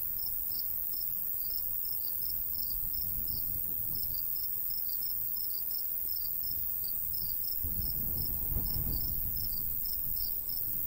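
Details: Crickets in a golden wheat field in the summer countryside, giving steady, high, short chirps repeated about three times a second. A constant high hiss runs underneath, and a low rumble of light breeze swells near the end.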